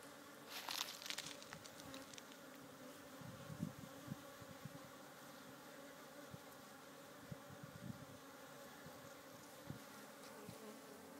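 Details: A very busy, crowded African honey bee (Apis mellifera scutellata) hive gives a steady, low droning hum from many wings at once.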